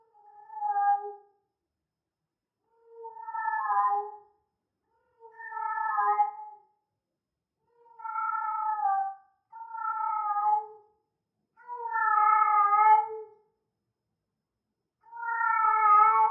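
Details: Repeated heat calls of a female cat, possibly Persian: seven drawn meows roughly every two seconds, some short and some longer and louder, with quiet gaps between them.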